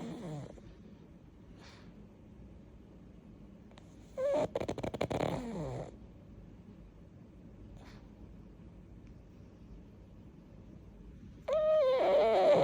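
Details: Pug named Yeoreum asleep and snoring: long quiet gaps broken by a rattling snort with a whistling, falling nasal tone, and another whistled snort starting near the end; faint room noise between.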